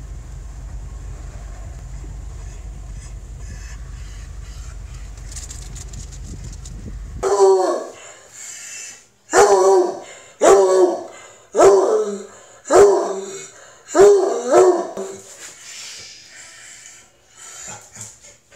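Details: Male Treeing Walker Coonhound at the vet, excited and straining to sniff other dogs. A low rumbling background gives way after seven seconds to loud, harmonic, downward-falling bays repeated roughly once a second, then softer, trailing calls.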